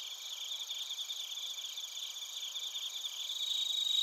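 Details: Chorus of bell crickets and other crickets from Narita, Chiba, Japan, TASCAM Portacapture X8 recording: shimmering high trills pulse rapidly, about three or four beats a second, growing slightly louder toward the end.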